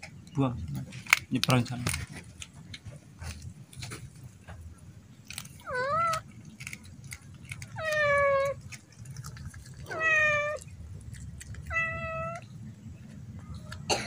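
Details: Baby otter Molla, raised by hand and never yet released to catch its own fish, stands and screams for fish: four loud, arched, strongly harmonic squeals about every two seconds, with clicks and a low background hum.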